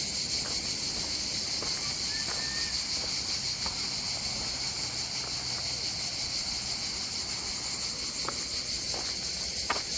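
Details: On a beach in the south of France, Antibes and Cannes area, cicadas hum a constant high buzzing wash behind low murmured speech and a few sharp taps.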